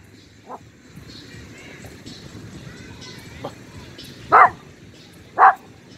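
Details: Young pinscher, almost two years old, on a walk in a small neighbourhood square, barking after sniffing something; a faint yip early, then two loud sharp barks about a second apart near the end, over quiet background chatter.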